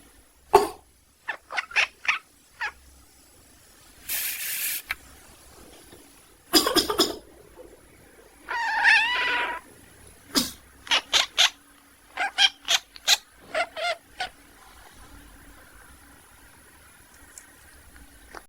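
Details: Sleeping domestic cat quacking in response to its owner's coughs, indoors: a few loud broadband coughs, then one longer wavering nasal cry and a rapid series of short, clipped, duck-like quacks that tail off near the end.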